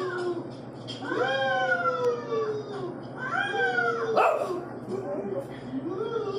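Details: Shih Tzu dog watching TV, giving drawn-out, falling whining howls, two long wails about two seconds apart followed by a short yelp and a softer whine, over low room hum.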